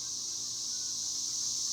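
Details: Cicadas around a single tree give a loud, seamless high-pitched shrilling drone, unchanging across the brief moment.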